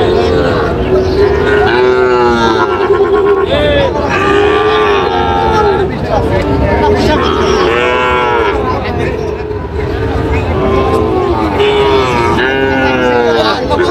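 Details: Sahiwal and Friesian bull calves at a Bangladeshi cattle market in Munshiganj, 24 July 2025: many calves mooing in repeated arching calls over roughly fourteen seconds, with a constant murmur of bargaining voices.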